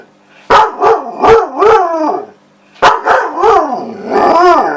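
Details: A female husky gives sharp barks that slide into wavering, howl-like 'talking' as she demands her ball.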